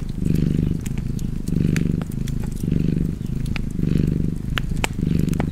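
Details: Low, rhythmic purring from a cat, each rumbling surge lasting under a second before a brief dip, repeated about once a second, accompanied by light fireplace crackling.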